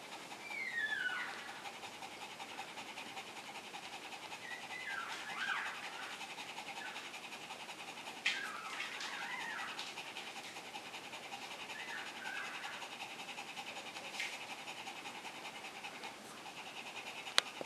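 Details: Newborn male Shih Tzu puppy, the very first of Gribouille's litter, during its first suckling against its mother just after birth: thin high squeals, one sliding downward near the start, then scattered short squeaks over a steady background hiss.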